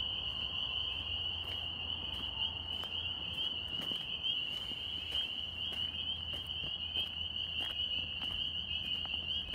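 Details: Northern spring peepers in New York. A constant high-pitched chorus of overlapping peeps, with repeated crackling clicks and patter throughout and a low hum beneath.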